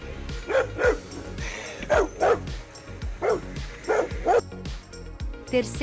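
A Rottweiler barks in short, deep bursts, often in pairs, over background music.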